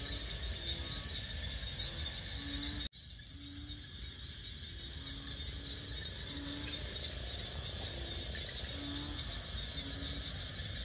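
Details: Frogs singing at night-time-like wetland edge in Bình Quới on the Thanh Đa peninsula, Ho Chi Minh City, Vietnam: short low hooting notes repeated roughly every second over a steady high insect drone, with one sharp click early on.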